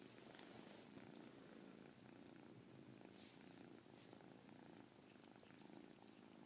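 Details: Domestic cat Caspurr purring up close, the chirp-tinged purr a dense, even low rumble with breathing cycles, over a steady hissy background.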